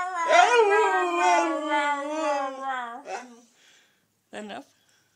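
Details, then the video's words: Female pet wolfdog howling with her family to reaffirm her place in it, a long wavering harmonic howl sliding downward over three seconds, followed by a short broken note and a brief yelp, with human voices possibly joining. "Hybrid howl"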